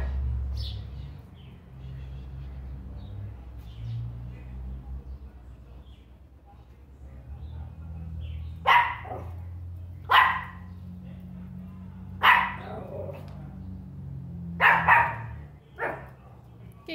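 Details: A Pinscher getting angry barks in sharp, high, yappy bursts, spaced a couple of seconds apart.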